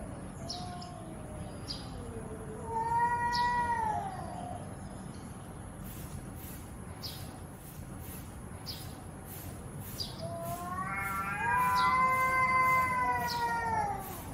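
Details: Angry domestic cat giving two drawn-out harmonic yowls, the first starting low and rising briefly before falling, the second longer and wavering, with quiet gaps between and a steady background hiss.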